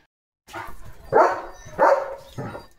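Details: Leo, a German Shepherd dog, after a bath and once dry, barks as cattle pass by. After a moment of silence come three sharp, loud barks in under two seconds, with a softer bark trailing at the end.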